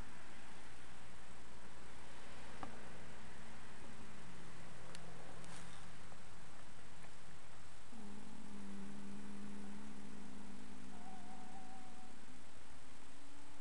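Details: Dream, a registered 10-year-old foxtrotter horse, relaxing and napping on old hay piles on an afternoon. Low, droning hums with layered overtones: a short one early, then a longer, steadier hum lasting about four seconds.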